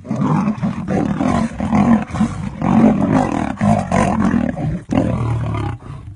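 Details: Two coalition male lions brawl in the Masai Mara over a lioness in heat who chose the older male. Rough, throaty snarls and growling roars surge in uneven waves, about once a second, with short gaps between outbursts.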